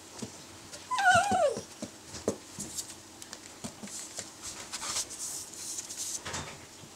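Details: Italian Greyhound letting out one drawn-out whining yelp that slides downward in pitch over about half a second, then scattered taps, shuffling and faint background noise indoors.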